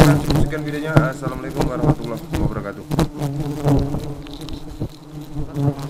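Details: Very aggressive honey bees: a steady, low droning buzz holds without a break from start to finish, with sharp clicks and faint voices in the background.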